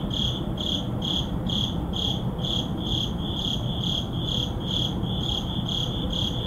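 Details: A cricket chirps steadily at midnight in an urban neighbourhood, short high pulses repeating about twice a second over a low city rumble.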